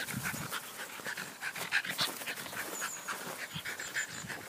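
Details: Jack Russell Terrier playing soccer: rapid, breathy panting bursts about three or four per second, uneven in rhythm, with a few thin high whines and scuffing sounds between breaths.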